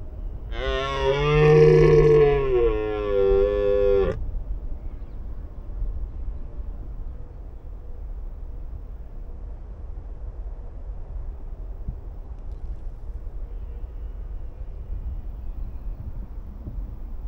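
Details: Wild red deer in the mating period giving one loud drawn-out roar of about three and a half seconds, rich and harmonic with a slight waver, followed by a long stretch of quiet background hiss.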